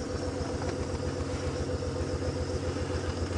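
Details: A steady idling vehicle engine rumbles throughout, with no animal calls heard.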